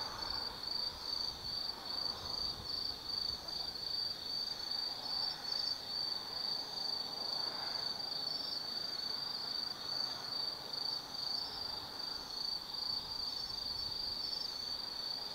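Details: Night chorus of autumn insects at Tsukimi no Mori in Kaizu, Gifu, Japan: continuous high-pitched trilling with rhythmic pulses, joined by a softer, lower murmur of distant sound swelling and fading in the background.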